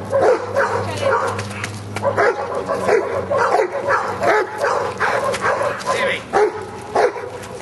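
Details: Giant Schnauzer named Luther at Schutzhund training, working in prey, January 2009; a dense run of rough, rapid barks fills the clip while people talk and call encouragement nearby.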